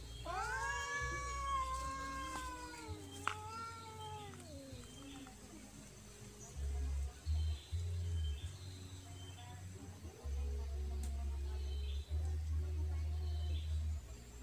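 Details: Persian cat and village cat fighting in a garden in Indonesia: drawn-out falling yowls in the first five seconds, then quieter moaning with low rumbling noise and a woman's voice near the end.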